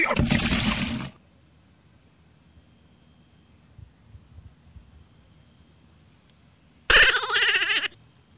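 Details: Dwarf goat in a playful cage match: a loud, rough, noisy burst opens, then after a long near-silent gap comes a harsh, quavering bleat lasting about a second, with low background rustling.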